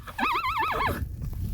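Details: A very vocal, starved 32-year-old rescue mare calls out to her carers as they pass while she eats. A quavering, warbling whinny rises and falls in quick wavers for under a second, then gives way to soft shuffling noises.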